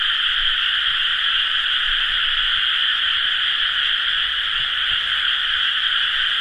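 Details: A steady chorus of frogs in rice paddies during rice-planting season, recorded 30 May 2011: thick, ceaseless croaking blended into a uniform two-pitched hum, with no other clear sounds.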